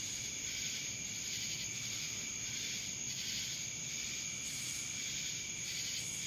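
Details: Steady shrill buzzing of cicadas from Dallas, Georgia, a dense insect drone with a continuous piercing tone and mild pulsing waves, no other clear sounds.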